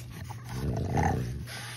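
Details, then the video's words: French Bulldog puppies from a litter playing outside in a sunny green yard at Rosebull Kennel on December 1; a low rumbling growl swells and fades over about a second, with a steady low hum underneath. "Joyful Playtime for French Bulldog Puppies, having a blast running around outside"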